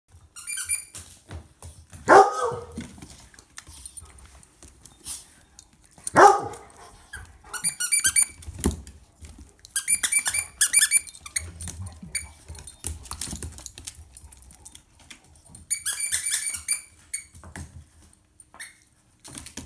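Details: A Miniature Pinscher and terrier mix rescue dog up for adoption gives two sharp, loud barks about four seconds apart, with metallic jingling and clinking scattered between them.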